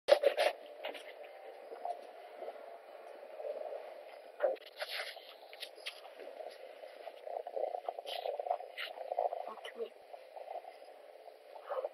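Muffled talking and scraping handling noises indoors, with no clear animal sound.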